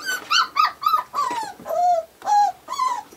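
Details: Five-week-old Australian Shepherd puppies indoors; a series of about eight high, harmonic whining yelps, each bending downward, repeated roughly every third of a second, loud and close.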